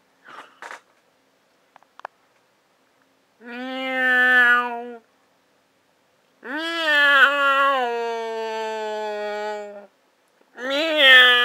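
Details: A cat named Briggs, scared on purpose, gives a short hiss-like burst, then drawn-out, strained meows that swell into long, wavering yowls, each lasting one to three seconds with short silent gaps between them.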